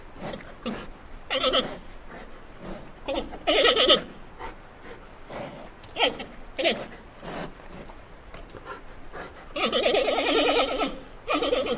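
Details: Panda bear making a series of short, bleating calls, some clipped and some wavering, spaced irregularly over twelve seconds, ending in a longer trembling bleat.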